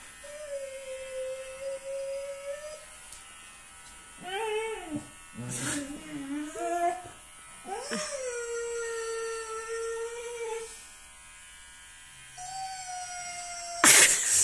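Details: Siberian Husky howling and wailing dramatically while being shaved: long, steady, slightly wavering tones broken by short rising and falling yelps in the middle, with people's voices talking over parts of it.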